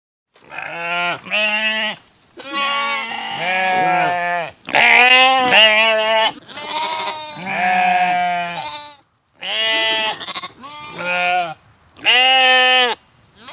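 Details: Sheep bleating in a rapid series of wavering, nasal baas, one after another with brief gaps. Several calls overlap, and the voices vary in pitch across the run.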